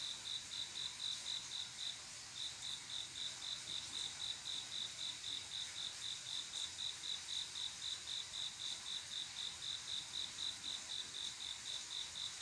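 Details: Cricket calling at night, a male seeking a female: rapid high chirps at about four per second, pausing briefly near two seconds before resuming, set against a soft wash of insect noise.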